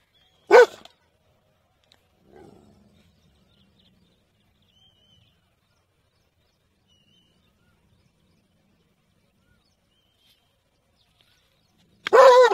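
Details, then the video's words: Dog barking: one sharp, loud bark at the start and another at the end, with long near-silence between and a faint low scuffle early on. "Dog Barking"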